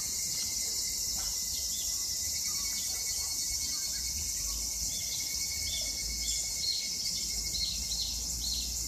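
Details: Evening cicadas (higurashi) in Japan in summer 2021 sing a high, shimmering chorus with rapid, repeated pulsed phrases.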